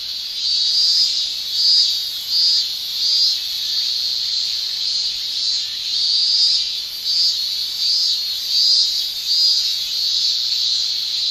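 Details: A dense shrill chorus of male cicadas in Japanese summer, tymbal song pulsing in louder surges about once a second over a constant high buzzing drone.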